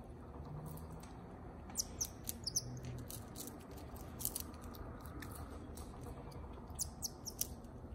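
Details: Female marmoset vocalizing as she eats, with scattered thin, high chirps in brief bursts between sharp clicky eating sounds and a constant low background hum.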